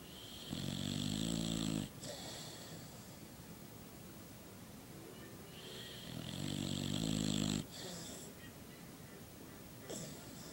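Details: Sleeping dog gives two rattling, buzzy snores about six seconds apart, each over a second long, with soft breathing between them.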